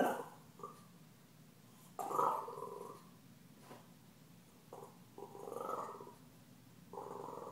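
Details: Puppy Stella grumbles while Gomez, a deaf cat, taunts her: drawn-out, rough, harmonic growls lasting about a second each, separated by quiet gaps, one starting with a sudden loud burst.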